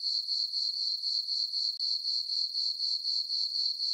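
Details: Crickets chirping on a peaceful summer night in a farm meadow under a full moon: a steady, high, ringing trill pulsing about four times per second, with no other sounds.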